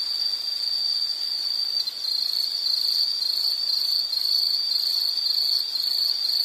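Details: Insect giving a steady, very high, shrill trill that runs almost unbroken, with only a slight dip near two seconds; a faint higher hiss sits above it and no other sounds intrude.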